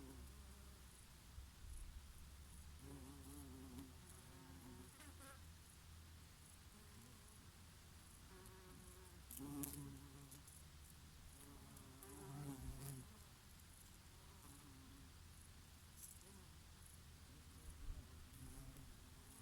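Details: Summer bees grazing on oregano blossoms, with an occasional bumblebee: continuous deep buzzing with rising and falling pitched hums as individual insects fly close, swelling louder briefly around the middle, against a gentle breeze.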